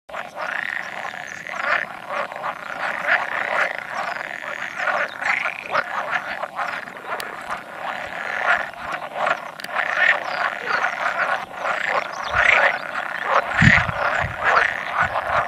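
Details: A spawning chorus of about 100 male pool frogs, with the occasional edible frog calling among them, recorded on 16 May 2017; dense overlapping rattling croaks run continuously with no pauses.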